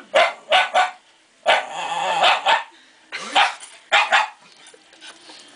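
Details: Pet Shiba Inu barking at a plastic bear head when he gets close to it: about five loud, sharp barks spaced irregularly, with quieter voices in the background.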